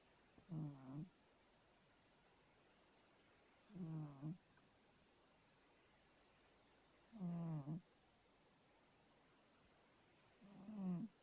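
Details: Fat domestic cat snoring while asleep: four low, rumbling snore breaths, each about half a second long and roughly three seconds apart, with quiet pauses between them.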